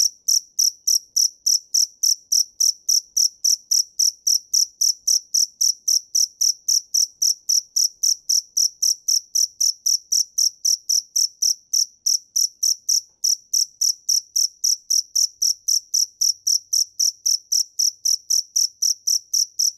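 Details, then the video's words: Steady, unbroken chirping from a field cricket (dế mèn): sharp, high pulses repeated close to four times a second with metronome-like regularity, nothing else audible. "Tiếng dế mèn hay nhất 2017 - The crickets - Cricket"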